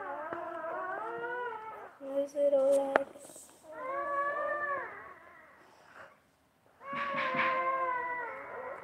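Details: Basset Hound mother with her newborn babies; loud, wavering whining cries in three main bouts, one brief steadier squeal between them, and a quiet pause before the last bout.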